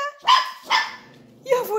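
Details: Labrador Retriever puppies responding to their owner's calls, giving two short, high, ringing yaps about half a second apart, then a wavering whine-like note. A woman's German voice keeps asking where the little ones are.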